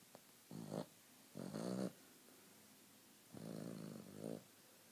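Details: A male Boston Terrier snores in his sleep in low, rumbling breaths that come in uneven bursts.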